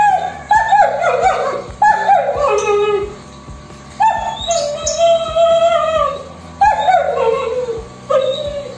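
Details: An abandoned German Shepherd, thin and suffering from a severe skin disease, recovering at a stray dog shelter, gives repeated descending whimpers and whines over steady background music.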